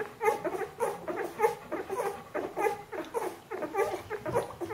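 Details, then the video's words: Squeaky rising whimpers from 14-day-old Bernese Mountain Dog puppies, a repeated tonal cry about once a second, clear and close in a quiet room. "Jeanies und Captains Welpen 14 Tage alt Bernese Mountain Dog Puppy"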